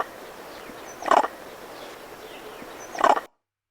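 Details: Vervet monkey eagle alarm, the raup, given when a monkey sees an eagle or hawk; two short harsh barking bursts about two seconds apart over a hissy background, then silence.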